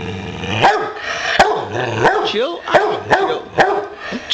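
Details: Pet Boxer dog barking to signal he wants to play: short, sharp, repeated barks about every half second with some whiny, rising yelps between, and a man's voice in the background.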